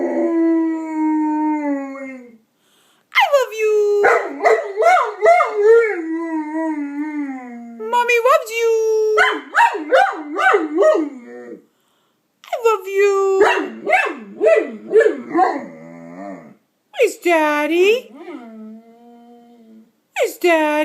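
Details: Young male Bernese Mountain Dog, 15 months, howls and yodels in reply while his owner coos loving words; long sliding moans and choppy warbling bursts alternate with her voice in a small room.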